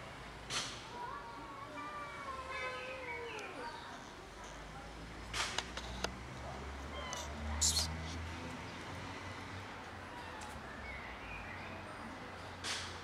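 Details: Cat with a broken leg, still giving love, utters a drawn-out wavering meow during the first few seconds, followed by knocks, thumps and a low background hum with voices.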